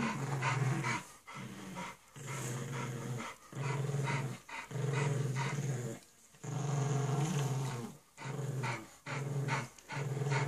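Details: Bulldog puppy and pug playing together indoors: deep, rumbling growls in bursts of about one second, repeated almost continuously with short breaks, harmonics stacked above a low base, a few snorts between.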